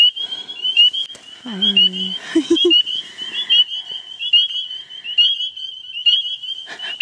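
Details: A tiny spring peeper frog (Pseudacris crucifer), about two centimetres long, calls loudly at close range at night in a marsh at Queen's Biological Station, its high, piercing whistle repeated over and over, loud enough to hurt the ears.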